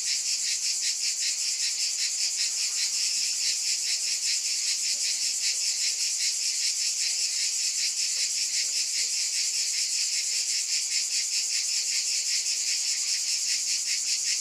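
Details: A dense wall of cicada buzzing, bright and high, throbbing in quick regular pulses about two and a half times a second without pause.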